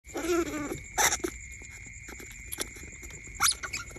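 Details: Baby smooth-coated otters kept as pets, suckling on each other as if nursing from their mother; a burst of squeaky, harmonic-rich calls in the first second, then short sharp squeaks near one and three and a half seconds, over a steady high electronic whine.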